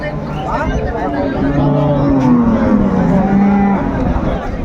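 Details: Cattle at Ambari Haat livestock market in Dinajpur, where cows and calves are sold, on 21 March 2025: one long, low, falling moo lasting about two seconds, over steady crowd chatter and market noise.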